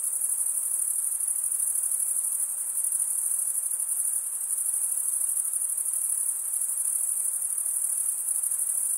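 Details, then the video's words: Crickets, chiefly males, chirping by stridulation: a constant high, silvery trill that fills the whole stretch like a massed chorus, finely pulsed and unchanging in loudness, without birds, voices or other noise. "cricket sound"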